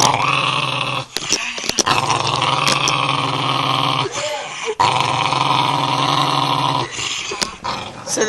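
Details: Female dog guarding her bone and growling as someone reaches for it indoors; sustained grinding growl, loud and steady, pausing briefly around one, four and seven seconds, with a person's voice mixed in.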